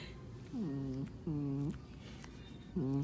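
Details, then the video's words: Onyx, a black Morkie, makes 'devil' noises while guarding his toy when someone comes too close: three low, grumbling, harmonic-rich bouts of about half a second each, gently curving in pitch, separated by short pauses. "Onyx the black morkie who steals yo girl, making devil sounds"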